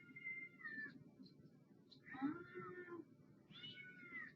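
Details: Domestic cat giving three drawn-out meows, each a clear harmonic tone that rises then falls, spaced about every one and a half seconds over a constant low hum.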